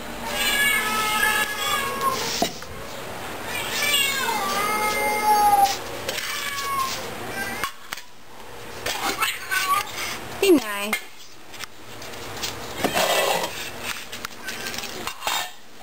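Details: Fat cats at The Hermitage Cat Shelter calling at feeding time: a chorus of drawn-out, bending meows over the first half, then quieter scattered cries, with a woman speaking and food dishes clinking.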